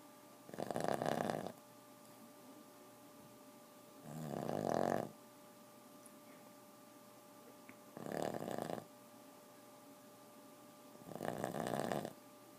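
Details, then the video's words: Boston terrier snoring indoors: four broad, rough breathy snores, each lasting about a second, spaced roughly every three to four seconds, with a steady faint hum in the background. "Boston terrier chata snoring"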